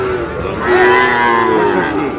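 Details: A Sahiwal bull calf at Aftabganj market, Dinajpur, Bangladesh, gives one long, steady moo with a rich harmonic tone lasting about two seconds, market voices murmuring underneath.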